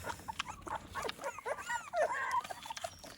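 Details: American Pit Bull Terrier puppies at their morning feeding, given food and supplements: several overlapping high, thin whimpers and squeaks rise and bend, mixed with clicking and shuffling noises.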